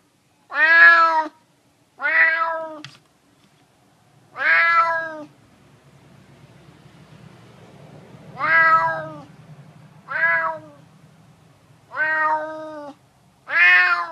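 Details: Hungry male neighbourhood stray cat meowing for food: seven harmonic, slightly falling meows in irregular bursts, with a pause of faint low rumbling midway.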